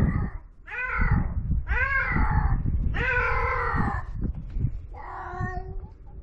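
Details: Feral cat on a Japanese cat island during mating: loud drawn-out harmonic yowls, several arching wails about a second each, separated by short gaps, with low wind rumble and handling noise underneath.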